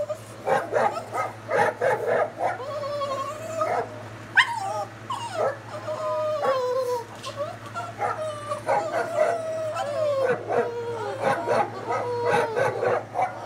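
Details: Boston Terriers, woken from sleep by barking dogs on YouTube, whine and howl in wavering, sliding tones, broken by short sharp barks, over a steady low hum.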